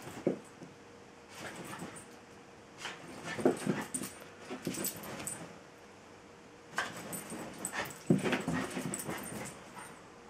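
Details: Tinkerbell, a female Jack Russell terrier, tries hard to draw play and attention from Bilbo, a patient Welsh Terrier, indoors; short noisy yips and barks come in two bursts of several calls, with quiet gaps between.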